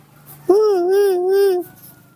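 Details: Baby monkey Nomi's tantrum, refusing to be hugged. A sustained, tonal, wavering cry lasts just over a second, with rich harmonics above a soft low hum. Faint background sound remains afterward.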